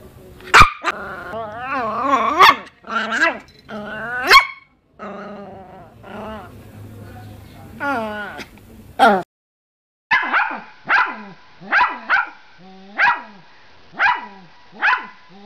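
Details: Miniature Pinscher being coaxed to bark; wavering, whining yelps and drawn-out tones first, then after a short pause a run of sharp, high barks roughly every second, with a voice mixed in.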